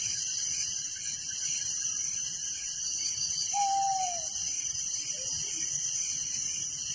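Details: Crickets chirping at night in a village, a dense high-pitched pulsing chorus held steady throughout, with one short descending whistled note from another animal near the middle.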